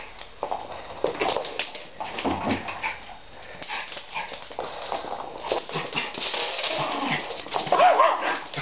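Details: Indoor play between two pet Schipperkes, Nikki and Justice, tussling over a plastic bottle; rumbling growls and brief yips rise and fall, ending in a louder burst of barking near the end.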